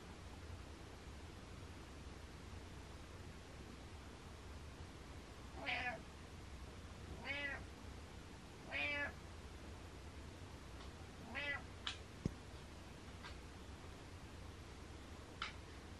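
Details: Butters the cat meows four times in quick succession near the middle, each call brief and rising then falling, followed by a few small clicks and taps in a quiet indoor setting.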